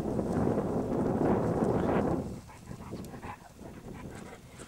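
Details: Young jackals give rough, panting whimpers and short whines over a dense, rumbling background while a meerkat attacks and harasses them in their burrow; jackal.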